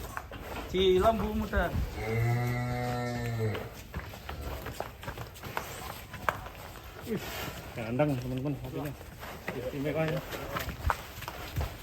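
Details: Cattle at Setia Farm, Indonesia, kept for their unusual colouring: a long, steady low moo, followed later by shorter wavering lows, with people talking and music in the background.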